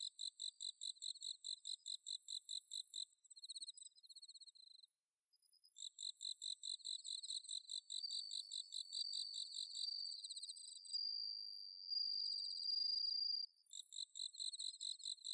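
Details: Autumn night insect chorus from Inba-numa rice paddies, Chiba, Japan, recorded on a Zoom H6: bell cricket ringing amid dense pulsed chirping trills, with a sustained clear tone midway and a brief pause near five seconds.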